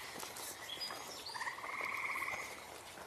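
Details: Frogs calling live, a short pulsed trill that rattles quickly for about a second, heard amid song sparrow, gray catbird and other birds singing thin whistled notes in the background.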